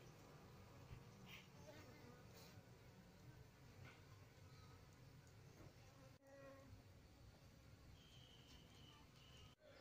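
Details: Buzzing from a queenless Apis cerana (Asiatic honey bee) colony as comb with queen cell pupae is donated: dense low droning hum, dotted with light clicks and handling knocks, faint voices now and then, two short dropouts.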